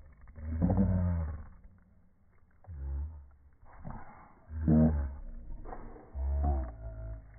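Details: Boston Terriers wrestling for a ball. Deep, throaty growls surge and fade in close succession, about five loud snarling bursts separated by brief quieter rumbles.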